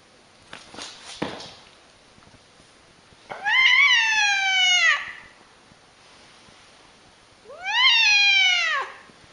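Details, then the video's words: An angry cat yowls twice, each a long harmonic howl that rises briefly then sinks in pitch, about four seconds apart, preceded by a short breathy hiss and light handling noises. "Crazy angry cats so funny"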